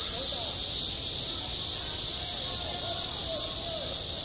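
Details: In high summer on a school playground, cicadas keep up a steady, intense high buzz, with faint curving lower tones briefly audible beneath it.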